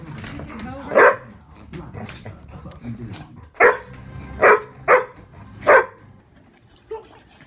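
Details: Poodle barking indoors, a domestic dog in a home recording: sharp single barks, about five spaced over several seconds with uneven gaps, and people talking in the background.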